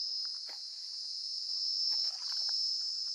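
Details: Crickets in quiet, deserted Similipal Forest in India, pointed out as an unusual kind of cricket sound. A continuous, shrill high trill runs throughout, with faint footsteps and brief rustles underneath.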